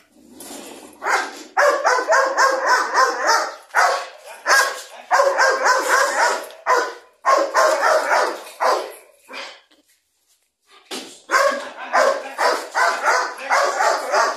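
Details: Belgian Malinois puppy, eight months old, barking through a first guard-dog attack test meant to check its drive; loud, rough barks fired in quick volleys, a brief silence near ten seconds, then another hard burst of barking.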